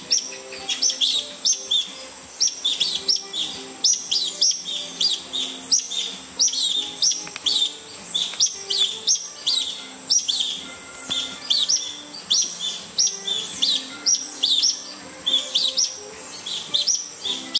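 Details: Palawan red-tailed tree squirrels in a bamboo grove beside a house, a family agitated possibly by a predator at the nest; a long run of sharp, high, chirping calls in quick irregular bursts, with a continuous high background whine.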